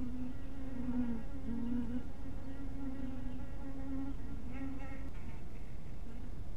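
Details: Buzzing honey bees at a hive cottage in dusk light, a low humming drone that rises and dips in pitch as individuals fly by, fading near the end, with steady background rumble.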